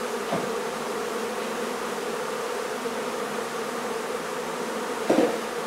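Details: Steady massed buzz of honey bees as their barn hive is removed in La Feria, Texas, with two short knocks or thumps, one near the start and one near the end.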